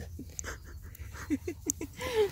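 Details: An angry Dachshund: a quick run of short, low, grunting yelps close together, ending in a drawn-out whine that rises and falls slightly. Low background hum and soft breathing-like noise throughout.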